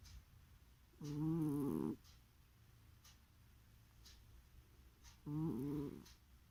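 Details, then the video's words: Cat asleep and snoring: two buzzy harmonic snores about four seconds apart, each close to a second long with a wavering tone, soft ticking audible in between in a quiet indoor room. "Кошка храпит во сне"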